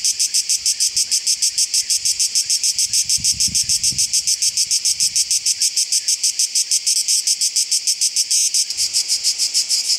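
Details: Cicada orni singing in July 2015 at Oasi le Chiesuole, a loud, dense buzzing made of rapid pulses repeated several times per second, steady and rhythmic throughout, with a faint low rumble near the middle.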